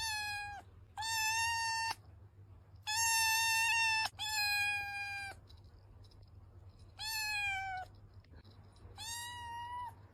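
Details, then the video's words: Kitten meowing in long, steady, slightly wavering cries, six calls spaced about one to two seconds apart, with a low constant hum underneath. "صوت قطة صغيرة جميل"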